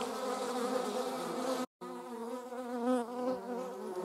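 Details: German wasps on the wing in slow motion; a steady droning buzz cut by a brief silent gap, then wavering, undulating hum from several insects.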